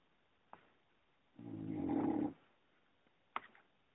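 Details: Female English Bulldog snoring in her sleep, one low rattling snore lasting about a second, framed by two short sharp clicks.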